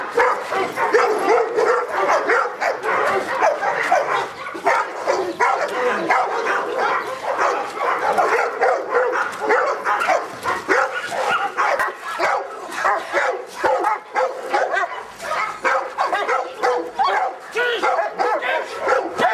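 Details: Felipe de Ironbull, a Presa Canario of King Zulu kennel, under a protection work test, barking steadily throughout: dense, rough barks in quick succession, loudness pulsing with each bark, and occasional higher yelping tones.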